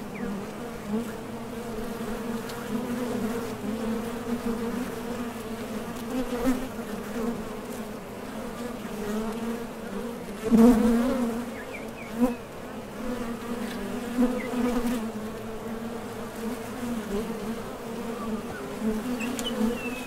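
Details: Foraging honey bees coming and going at a top bar hive entrance; a dense, even hum throughout, a sharp louder pass midway as one bee flies close, and smaller surges scattered across the recording.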